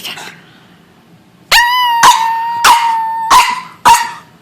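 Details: Dog barking with its owner: five loud, ringing, tonal barks at roughly even intervals of about half a second, each with a bright sustained pitch.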